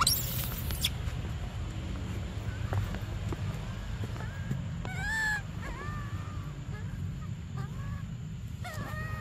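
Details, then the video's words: Baby monkey named Briar crying for milk: brief, thin, arched wails with clear overtones, heard in short bursts with gaps between them, over a steady low rumble, with scattered clicks and knocks. "Desperate Baby Briar Cries For Milk"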